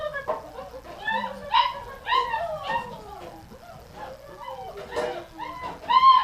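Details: Several sled dogs at feeding time in a kitchen, waiting for gruel and calling loudly: overlapping high whines, yips and wavering howl-like cries throughout, one dog after another, over faint background music.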